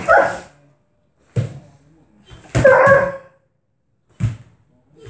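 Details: Kuvasz at play giving loud, deep barks, four separate bursts spaced about a second apart, with near silence between them.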